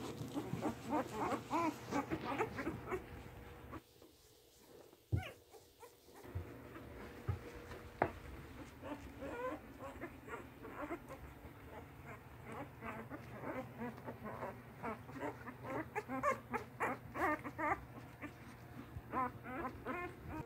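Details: Eight newborn English Mastiff puppies, three male and five female, whelped on Halloween night 2019, whimper and squeak almost continuously. A chorus of thin, wavering cries rises and falls, with a brief quieter gap and a knock near the five-second mark.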